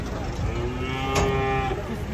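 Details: A cow being unloaded from a truck in a narrow space at an Indonesian market lets out a single short, steady, nasal moo over heavy low engine noise.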